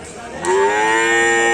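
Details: Cattle at a Karapan Sapi bull race on Sapudi Island: a loud, sustained moo starting abruptly and holding a steady, slightly rising tone for over a second.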